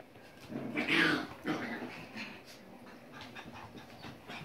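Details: Basset Fauve de Bretagne puppies give a brief whining yelp about one second in, followed by a shorter cry and then soft, scattered rustling and breathy sounds.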